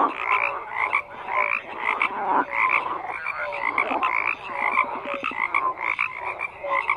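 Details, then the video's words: A dense frog chorus of many overlapping croaks, rasping pulsed calls crowding together with short tonal notes sounding again and again, a steady wall of calling with no break. "FROGS CROAKING"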